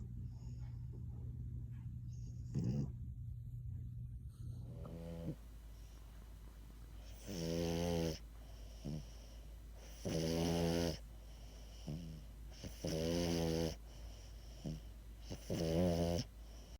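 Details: Luna, a tired female French Bulldog, has fallen asleep with her tongue poking out and snores in loud, rumbling bursts about every two to three seconds, recorded close up.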